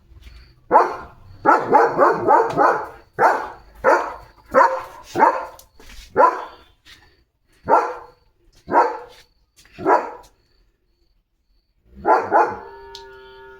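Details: Pet German Shepherd named Leo barking to grab attention on a day of command training: a long run of harsh barks, bunched rapidly at first, then spaced about one per second, ending with a final short burst.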